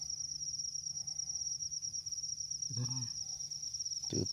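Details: A cricket in a rice field keeps up a high, even, rapidly pulsed trill while people hunt crickets nearby; a short spoken word and a low thump break in late.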